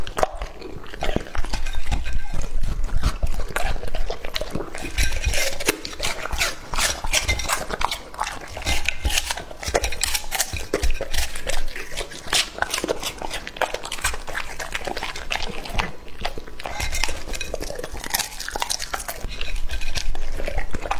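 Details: Steady, rapid chewing of raw meat by Lucky, a two-and-a-half-year-old male English Labrador. Wet crunches and tearing come roughly two or three times a second, with an occasional faint clink.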